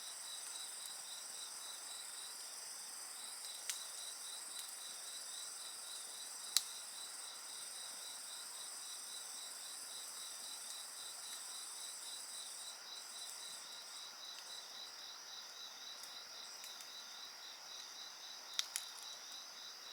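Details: High, ringing insect trills with a rhythmic pulsed chirp band carry on beside a bonfire, the upper tones fading and returning in the second half, while occasional sharp pops crackle from the flames.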